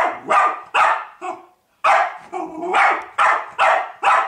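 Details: Dog persistently barking at a pig: harsh, mid-pitched barks fired about twice a second, one short gap midway, nothing else audible.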